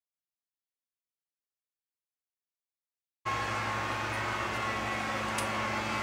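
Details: Silence gives way to a steady low rumble of traffic or machinery, with no animal voice. The hum stays even to the end, broken only by a couple of faint high clicks.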